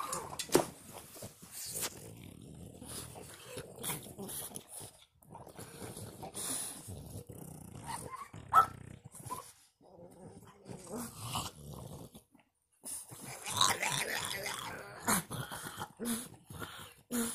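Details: A male French Bulldog grumbles, whines and yelps in frustration because a female French Bulldog is in heat.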